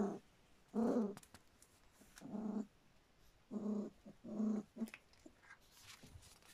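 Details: Standard Poodle pups just over three weeks old make low, grunting whimpers in four or five separate bursts of about half a second each, with faint rustling between.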